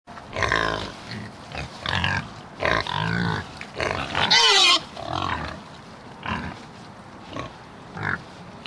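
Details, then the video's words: Pig oinking: a run of short, nasal, harmonic grunts, some doubled, with one louder, higher squeal in the middle, then softer grunts spaced about a second apart. "Som de porco oinking 🐷 efeito sonoro 🐷 pig oinking"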